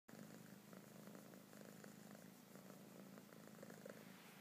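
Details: Kitten purring loudly while being petted and cuddled indoors, a steady low rumbling throb that runs without a break, with faint rustling of fur and hands.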